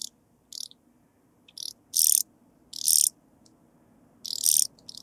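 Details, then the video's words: Blue-winged sand grasshopper recorded in Bernstein, Austria, 2 August 2023: uneven series of rasping high-pitched buzzes, some very short and faint, others longer and louder, with quiet low background noise. "Sphingonotus caerulans -- Blauflügelige Sandschrecke -- Blue-winged Sand Grasshopper"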